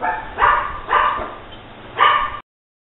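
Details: Precious, a female foster Pomeranian, lets out three sharp, high-pitched barks, the first two about half a second apart and the third after a pause, indoors over a faint electrical hum.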